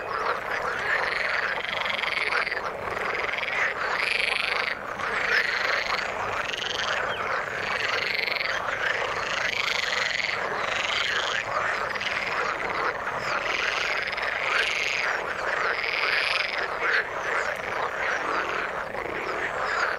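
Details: Frogs in water calling in a busy chorus: repeated buzzy, rising trills of about one second, overlapping with steady background croaking.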